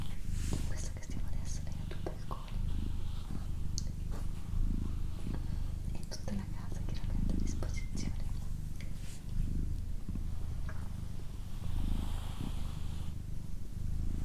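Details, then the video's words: Female house cat Doroti purrs in a constant low rumble with regular breath pulses, overlaid by hushed whispering and small handling noises. "ASMR Cat Purring & Whispering"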